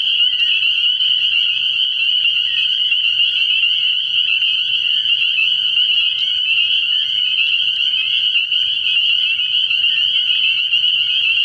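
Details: Night chorus of many spring peepers at a frog pond in early spring, a steady wall of high, piercing peeps overlapping without pause for the whole stretch.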